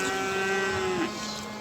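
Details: Simmental young bulls offered for sale at the Beyləqan livestock market on 27 May 2021. One gives a short, level moo on a steady tone that dips slightly at its close, over crowd noise.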